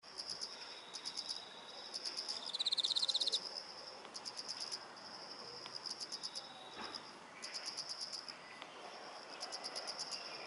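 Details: A chorus of autumn insects in a garden gives high, pulsed chirping trills in bursts over a thin, steady ringing tone.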